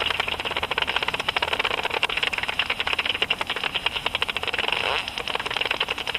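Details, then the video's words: Japanese pipistrelle (Pipistrellus abramus) flying around at dusk; its ultrasonic echolocation, converted by a bat detector, heard as a fast stream of dry ticking clicks. "アブラコウモリ (Pipistrellus abramus) バットディテクター変換"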